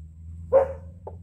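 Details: Jet black Belgian Malinois puppy, two months old, female named Lucy, in a training session: a single short bark with a brief falling tail and a faint second yelp, low steady hum behind, then praise.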